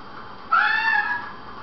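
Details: Domestic cat giving a single short meow, about seven tenths of a second long, bright and harmonic, slightly falling at the end, over a steady low background hiss.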